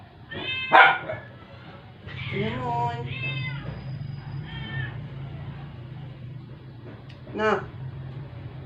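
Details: Rescued stray indoor cat, not eating for 12 days and dying after a vet visit, gives several harmonic meows, one sharp at the start, then a drawn-out pair and two shorter, fainter cries spaced seconds apart over a low steady hum.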